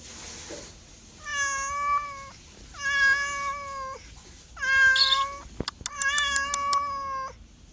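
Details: Domestic cat repeating steady, drawn-out meows about every one and a half seconds, four in a row, each flat in pitch with a slight drop at the end; sharp clicks break in near the fourth call.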